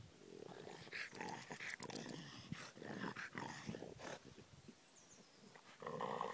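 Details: Pet dogs growling with harsh, noisy pulses in quick irregular bursts, then a brief lull broken by a single thin bird chirp before the rough grumbling returns.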